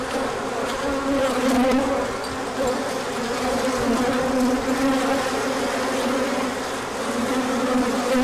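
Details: Honeybees on a large orientation flight, emerging when the sun came out after colder days, 24 March 2024: a dense, steady wing hum of many bees with overlapping buzzy tones and brief louder passes.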